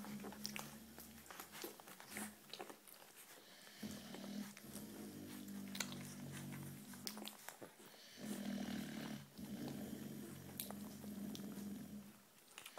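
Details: Berta, an American Bulldog puppy sired by Big Byron out of Carlotta, grumbles in drawn-out, low, droning whines that come in two long stretches, mixed with scattered clicks and handling noises.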